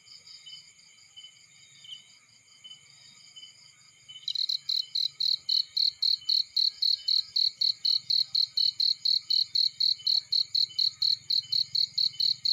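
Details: Cricket in a field beside a burning fire. Faint, high chirping for about four seconds, then loud, evenly spaced chirps about four per second. A low, soft crackling rumble runs underneath.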